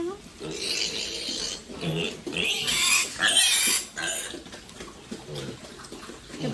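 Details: Farm-raised domestic pigs making harsh noisy squeals and grunts in bursts, mixed with people speaking Vietnamese close by.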